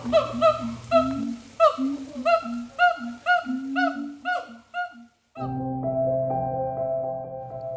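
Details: Siamang gibbons at Bali Zoo, Indonesia, giving bark-like set calls, often accompanied by acrobatics: about nine short, upswept hooting barks repeated roughly twice a second for five seconds, then music takes over.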